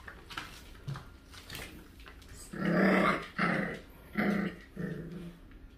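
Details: Indoor dog growling while a poodle and a dachshund are being introduced and housed together, with food nearby. Four deep, rough, rumbling growls in close succession, the first longest. Soft background noise.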